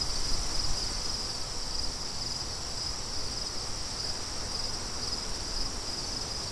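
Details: Outdoor crickets calling in a sustained, even high trill with a thin overtone higher up, while blustery wind rumbles underneath, briefly louder at the very start.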